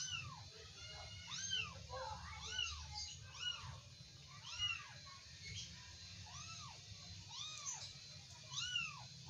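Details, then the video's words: Wrestling kittens give roughly ten thin, high arched mews in bursts of two or three, separated by short pauses, over a quiet low hum. "anak kucing lucu, gulat"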